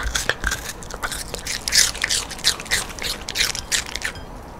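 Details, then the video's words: Rando the dog eats a quarter of a sweet pear, a fruit snack given twice a week alongside a raw-meat diet; wet, crunchy bites come in quick irregular bursts, close and crisp. "강아지 리얼사운드 | Dog mukbang, realsound, eatingsound"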